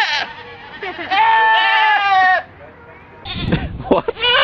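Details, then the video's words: A goat screaming much like a person: a wavering, rough cry at first, then a sustained strained yell, and after a lull a further hoarse outburst mixed with thumping noises. "Cabras gritando como humanos"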